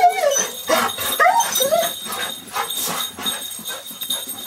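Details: Pet dogs, a Golden Retriever and a Terrier mix, greeting owners returning home after over a week away; drawn-out, wavering whines and moaning howls rising and falling, repeated in quick bursts, with jingling and household noise behind.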